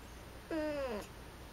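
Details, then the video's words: Female house cat up in a storage closet, disturbed by the light being switched on, voicing that she wants a dark nap: one clear half-second meow, rising then sliding down, in a quiet small room. "Cat says she wants dark nap"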